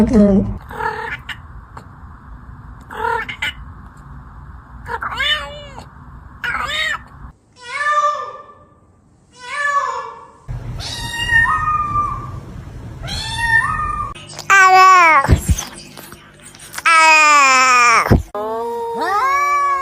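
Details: Domestic cats in a funny compilation: a run of varied meows and yowls, some short and clipped, others long, wavering and strongly tonal, separated by abrupt cuts and patches of low background noise.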